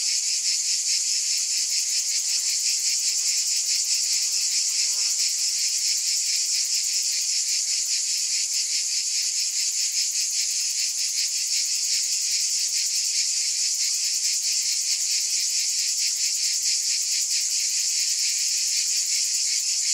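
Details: Unbroken, piercing cicada buzzing, a bright hissing chorus with quick regular pulsation, steady in loudness for the whole stretch, with faint low chirps briefly beneath it.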